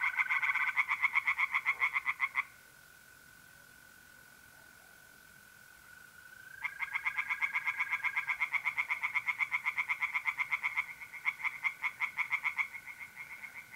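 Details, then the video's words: Tree frogs singing by night from a pond in mid-April in north-east Italy: rapid pulsed croaks, several per second, in two bursts around a quiet gap, over a steady thin trill of mole crickets. "relaxing singing tree frogs in pond and trilling mole crickets by night"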